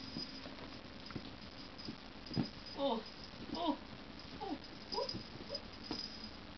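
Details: Playful female Scottish Fold kitten, playing hard: a series of short, high, chirping mews rising and falling in pitch, about five in quick succession, among tapping and rattling play noises and a steady low indoor hum.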